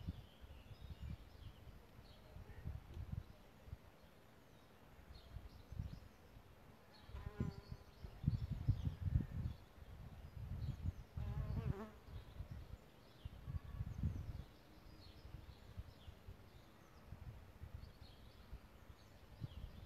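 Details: Solitary bees nesting in a bug hotel: two brief buzzing fly-bys, each a short rich humming tone swelling and fading close to the microphone, set against low rumbling wind noise and faint distant bird chirps.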